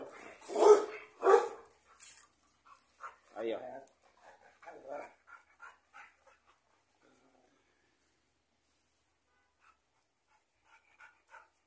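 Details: Guard-line Rottweiler in its kennel, territorial and refusing to let the cameraman enter: two loud, deep barks in quick succession, then two more spaced barks, followed by quieter scattered sounds and a man talking.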